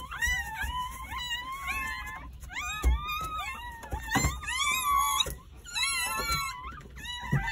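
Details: Jindo dog newborns, nine born on New Year's Day between morning and early afternoon at a country home, wailing in thin, high, wobbling cries, overlapping continuously with brief pauses and a few sharp clicks.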